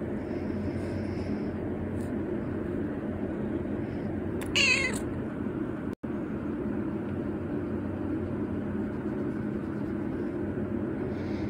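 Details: Uzura, a 119-day-old kitten at bedtime beside its owner, who wants to stay awake: a single short, bright meow near the middle, set against a steady low room hum with a faint click.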